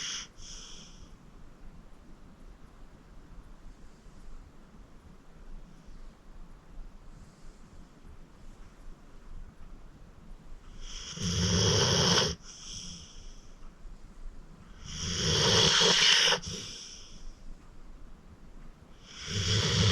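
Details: Acorn, a 14-year-old rescued senior pit bull from the Cuyahoga County Animal Shelter, sleeping deeply indoors; quiet breathing gives way to loud, rasping snores around the eleventh second, then two more long snorts with pauses between.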